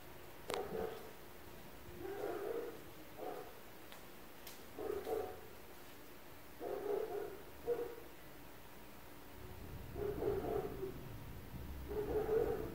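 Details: Neighbours' dogs barking at 4 a.m. around an apartment, heard indoors: muffled, low barks in short bursts, about nine over twelve seconds, some in quick pairs, with a faint steady hum beneath.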